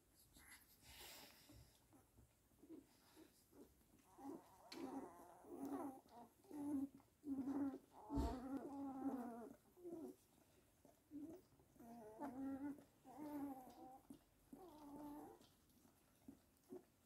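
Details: : Weimaraner giving a series of short grunting squeaks and whimpers, harmonic and wavering, in irregular bursts about once a second, with quiet gaps between.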